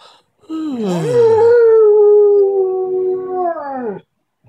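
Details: A Siberian Husky gives a very early-morning wake-up call in the dark: a long, sustained yodelling howl that rises at the start and drops away at the end.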